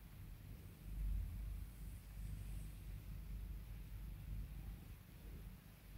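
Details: A cat being calmed and spoiled by its owner gives a continuous deep purr, a low throbbing drone that rises briefly early on and then holds steady.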